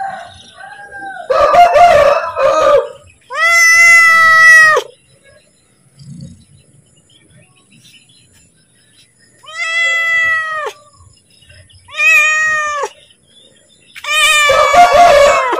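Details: A hungry pet cat asks for food with a series of loud, rising-and-falling meows separated by pauses of a few seconds, some rougher and noisier at the start and end.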